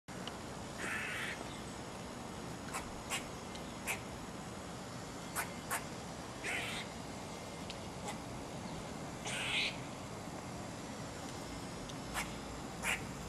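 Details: Eastern gray squirrel (Sciurus carolinensis), call.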